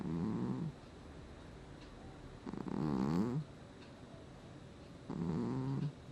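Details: A sleeping house cat named Gnusmas, recorded in August 2020, snores steadily: three low, raspy, buzzing breaths roughly two and a half seconds apart, the middle one longest, in a quiet room.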